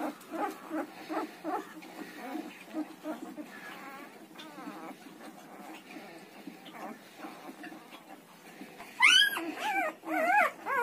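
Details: Newborn Siberian Husky puppies, between 1 and 10 days old, give soft, overlapping squeaks, then louder rising-and-falling squeals.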